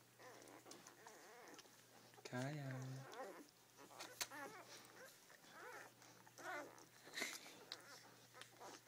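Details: Five-day-old Rhodesian Ridgeback puppies from a first litter, indoors while nursing: repeated high, wavering squeals and whines rising and falling in quick bends, with a woman speaking softly over them and a steady low hum underneath.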